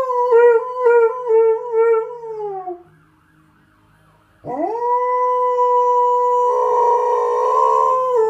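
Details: An Alaskan Malamute, about 3 years old, howls, first wavering and falling away, then swooping up into a long steady note.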